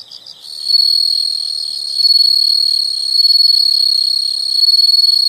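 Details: Brief soft insect chirps give way to a loud, unbroken high-pitched buzzing trill that pulses gently in volume about once a second.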